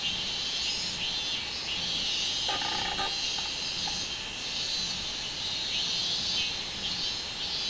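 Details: Continuous shrill insect droning attributed to robust cicadas, 24 July 2016, high and sustained with softer pulsing, interrupted around the third second by a short lower-pitched chattering burst.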